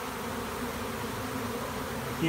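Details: A dense, steady drone of a giant honey bee swarm on April 30, 2017, leaving a tree where it had landed and returning to its original hive.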